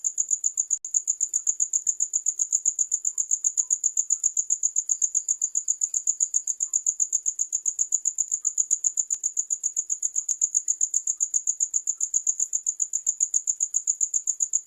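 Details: Steady cricket song of quick, shrill pulses at a constant rate, on and on without pause, with a few faint clicks behind it.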